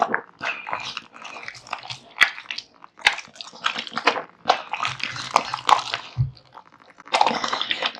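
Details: Male American Bully dog eating a huge meal of raw meat and bones: wet chomping, crunching bites and smacking at an irregular pace, with occasional sharp clicks.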